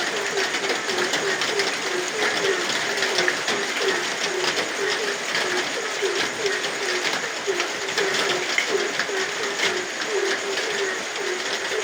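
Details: A nighttime frog chorus in rain, with brief low notes following one another rapidly and evenly. Dense rain noise fills the background.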